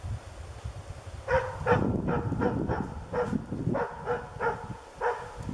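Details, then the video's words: In moose dog training, the dog Diesel of Ukonvuori barks quickly and repeatedly during an early encounter with a moose, over a steady low rumble. "Moose dog training 2"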